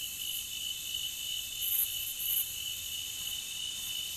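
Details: Crickets chirring together in an unbroken, piercing high drone, with two sharper accents near the 2-second mark.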